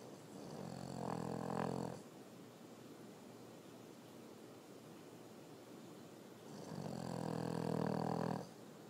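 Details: Sleeping French Bulldog snoring: two long, low, raspy rumbling breaths about five seconds apart, with a quiet steady hiss between them.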